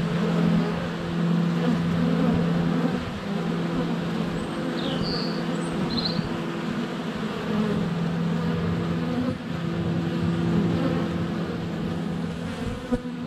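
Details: Honey bees at the hive entrance on a sunny February day, GoPro Hero 7 Black less than a foot from the hive: constant low buzzing hum, with short bright bird chirps near five to six seconds.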